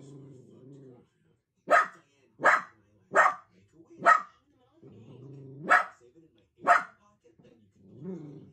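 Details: Sausage dog puppies at play give six sharp, punchy barks, spaced about a second apart. Lower, drawn-out voiced sounds come before and after them.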